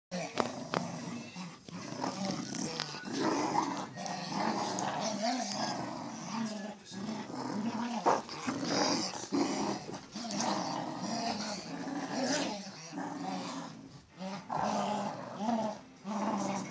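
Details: Two Cocker Spaniels growling in rough, rumbling bursts while playing tug of war, with a human voice now and then.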